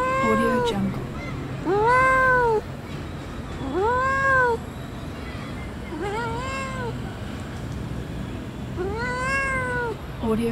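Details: Cute domestic cat giving a series of clear, arched meows that rise then fall, about five cries spaced roughly two seconds apart, over a steady background hum.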